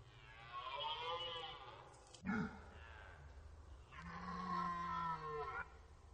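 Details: Archival rut recording of red deer at the Orzysz military range, Poland: a stag's hoarse roar fades out, a short sharp knock follows, then another deep, sustained bellow rises and holds for nearly two seconds before cutting off.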